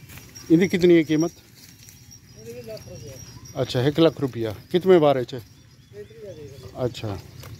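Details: Dera Din Panah (DDP) goats on a farm in the Punjab plains, a breed described as a big milk producer; loud, quavering bleats come in three main bursts, with a man speaking nearby between them.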